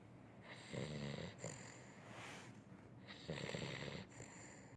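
A sleeping Weimaraner snores in deep, rattling breaths, each intake a low rumbling drone.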